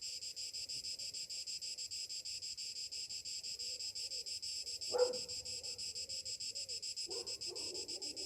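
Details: Cicadas on a summer morning give a continuous, high, sizzling buzz with rapid gentle pulsing. A short sharp knock sounds midway, and a brief lower call or rustle near the end.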